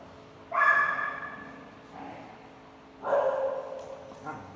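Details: Dogs at a dog daycare on Halloween, 31 October 2020: two loud, harmonic bark-like bursts around half a second long, about two and a half seconds apart, then a softer short yip, over low room hum.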